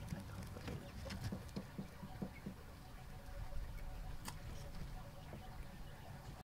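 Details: Guinea pig eating: quick, dry crunching clicks come in a fast irregular patter through the first two and a half seconds, then thin out into scattered soft ticks over a low steady background hum.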